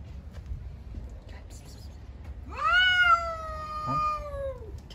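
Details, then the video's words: Cats fighting on the street: a loud, drawn-out wailing yowl starts with a sharp rise, holds a steady strained pitch for about two seconds, then sags downward, over a faint low background hum. "Cats on the street are fighting with a lot of funny sounds."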